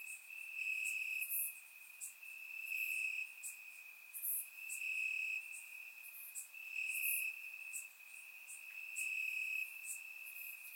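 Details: Crickets chirping in grass on a warm summer night in Bulgaria, recorded with a surround microphone: a steady high ringing trill in pulsed bursts about every two seconds, with faint higher insect ticks above.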